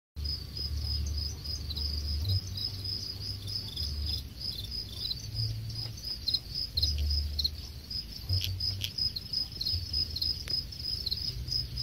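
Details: Farmed crickets at a cricket farm in Khon Kaen, Thailand, about ten days before harvest, chirping in a steady high-pitched pulsed trill that runs without a break, over a low rumbling hum.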